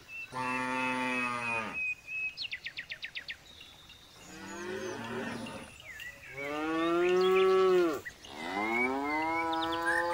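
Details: Jumbo bull lowing repeatedly: four harmonic moos, some long and steady, others rising then dropping, with a rapid series of bird chirps early on and a thin whistle in the background.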